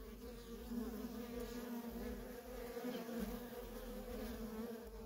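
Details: Feral colony honey bees, workers in constant traffic, produce a thick, even buzzing hum with pronounced tonal bands; individual fly-bys swell slightly in loudness now and then.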